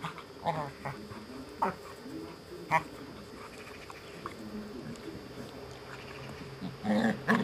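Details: Malinois Zabó and Amstaff Chefrem tussling during play in a garden; low rumbling growls with a few sharper bark-like yelps, loudest near the start and end.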